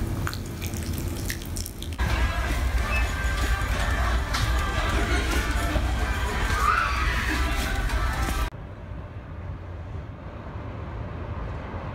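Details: Music plays over running water and dripping, like a filling sink, with the sound quieter and muffled after the eighth second; no animal voice stands out.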